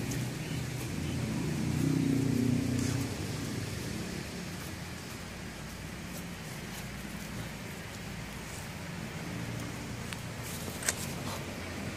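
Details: Outdoor traffic rumble and rustling, with faint speech and one sharp knock near the end, and no animal voice.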